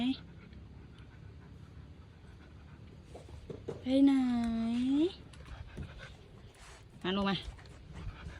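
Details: Siberian Husky named Tang vocalizing when a parcel is being received: a drawn-out harmonic howl-like whine that dips then rises over about a second, followed later by a shorter similar cry, with a person's speech and some music in the background.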